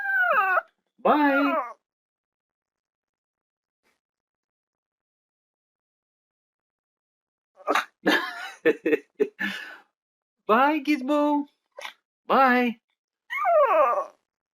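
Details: A dog lets out short, high, bending yelps and whimpers in scattered pairs and clusters, separated by long silences, with a few sharp clicking sounds among them.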